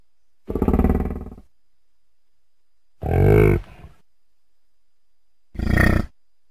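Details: Deep, pulsed bellows from an American bison, also known as buffalo: three loud, throaty grunting roars roughly every two and a half seconds, the first longer and drawn out, the others short and rasping, quiet between calls.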